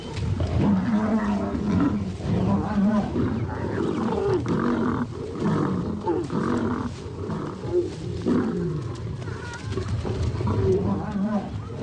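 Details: Wild lions in combat: a continuous stretch of deep, rough snarls and growling roars, overlapping and swelling in harsh bursts with low rumbles underneath and hardly a quiet gap.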